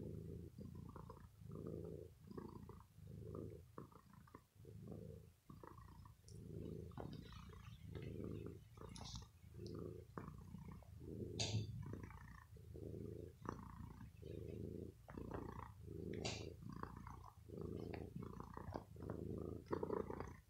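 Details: Bella, a pet cat who is ill, purrs after some pampering while biting and playing with a sweater in the evening. Low rumbling purr in steady breath cycles roughly every 0.7 seconds, with faint clicks and rustling of fabric.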